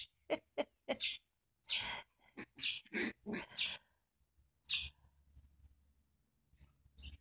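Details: A tough little chihuahua makes sharp, high yaps and throaty growling bursts, about eight in the first four seconds, then falls quieter with faint low background noise.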